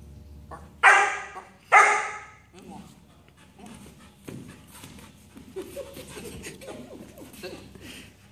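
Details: Black German Shepherd puppy named Nacho, in advanced training and practising dance moves: two loud, sharp, harmonic barks about a second apart near the start, followed by a man speaking quietly, soft rustling and light footsteps.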